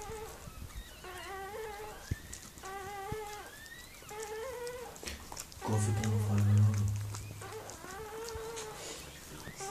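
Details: Miniature Pinscher named Mirella giving birth to puppies: a series of short, tonal, wavering whimpers, some rising then falling, repeated through the recording, with a brief low droning hum near the middle and faint background noise.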